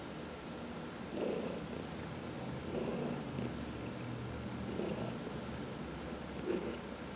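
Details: Purring house cat under massage, among four cats in one home; steady low rumble swelling in breathy pulses roughly every two seconds, with a hiss-like upper edge on each breath.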